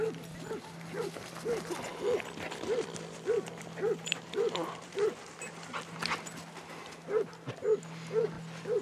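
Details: A pack of 22 Basset Hounds walking round Belwade Farm near Aboyne, Scotland, 2 October 2016, gives a steady run of short, rising-falling yelps, almost two a second, with a brief pause near the end and a low background hum.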